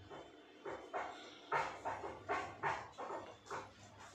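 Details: Little dogs barking in reaction to the noise of a drilling machine: a run of about eight short, sharp barks with mid-range emphasis, spaced roughly half a second apart and varying in loudness, over a faint low background hum.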